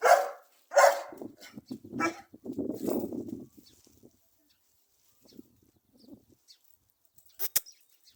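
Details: A dog gives two sharp, loud barks in quick succession, then a run of low, rough grumbling noises for about two seconds, followed by near quiet with scattered faint soft sounds and a brief click near the end.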